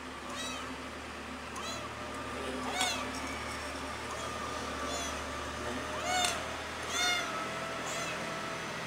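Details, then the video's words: Pretty the cat calls loudly for its missing mother, giving scattered, uneven meows, some faint and some clearer, over steady background noise and a low hum. ""PRETTY" Meow Very Loud To Miss The Mother"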